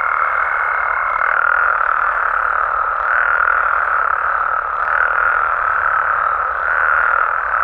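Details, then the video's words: Frogs and toads of Mexico calling through the night in natural surroundings; a continuous mass of overlapping croaks with soft surges. A faint steady high tone sits over the chorus for the first second or so, then fades. "Mexican Frogs & Toads Sounds"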